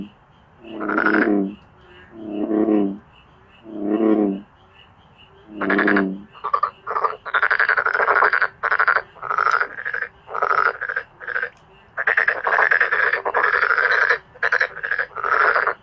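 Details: Frog chorus of male black-spotted pond frogs. It opens with four slower, deeper, moaning calls about 1.5 seconds apart, then shifts to rapid, rasping pulsed croaks in irregular bursts.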